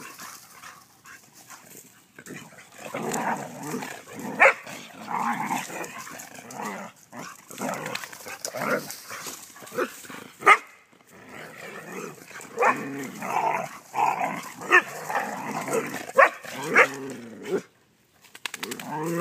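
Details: Three Vizsla females after swimming keep up a busy stream of whiny, grumbling yips and occasional sharp barks, broken by brief quiet gaps, over constant rustling background noise.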